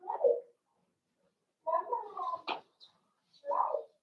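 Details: Seven-week-old Cavalier King Charles Spaniel puppies from Daisy's litter, kept in an indoor puppy pen in the middle of a home, whimper: a short whine, then a longer wavering whimper broken by a sharp click, and a final brief whine.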